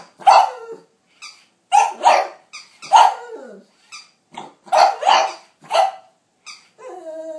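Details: Pug confronting a capybara in a mock duel, filmed on an iPhone 4S: a run of rough, throaty barks, some doubled, with breathy snorts between, and a brief tonal music sting at the end.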